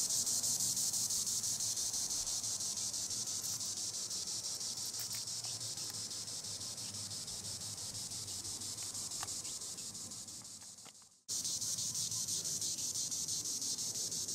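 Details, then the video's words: Treetop song of a green annual cicada, Tibicen linnei: a steady high-pitched whirring drone that fades gradually, cuts out abruptly near eleven seconds, then resumes at full strength. "Green Annual Cicada tibicen linnei (Cicadidae) sounds recording in the treetops"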